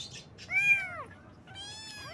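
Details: Cute baby kittens in the morning giving a bright, high mew that rises and bends downward, followed by a softer, flatter second mew; faint hissy chirps at the start.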